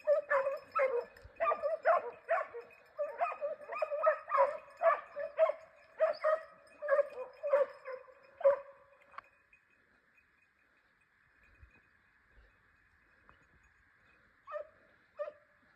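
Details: Segugio Italiano on a hare hunt in forest in Cyprus; a steady string of yelping bays for about nine seconds, then near silence with a faint hiss and two last distant yelps.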